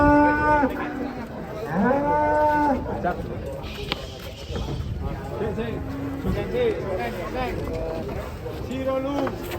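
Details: Large cattle lowing while being loaded onto a truck: a series of deep, drawn-out moos with strong harmonic bands, some rising then falling, repeated several times over ten seconds, with faint voices and background noise.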